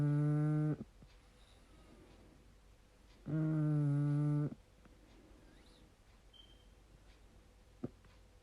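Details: A sleeping pug named Rupert Eli, eyes open, gives deep buzzing snores. Two long, rich, nasal drones about three seconds apart, each roughly a second long, with quiet breaths and one sharp tick between them.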